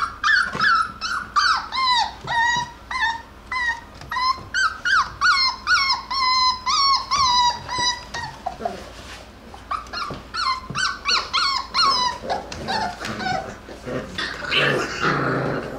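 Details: Jackabee puppies, a Beagle and Jack Russell cross from Miss Sansa's litter, playing and wrestling indoors; rapid run of high yelping barks and whines, about two per second, bending upward then falling, easing off before a rough growling scuffle at the end.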